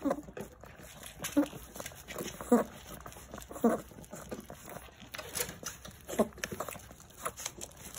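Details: Jindo puppies in a fierce scramble over their food. Short, squeaky whimpers with ringing overtones come about five times in eight seconds at uneven gaps, over steady chewing, scuffling and crinkling noises indoors.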